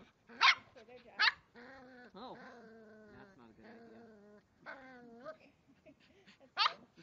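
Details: Three-month-old Cavalier King Charles Spaniel puppy fiercely going after a water bottle: sharp high yaps near the start and end, while a woman's voice talks through the middle.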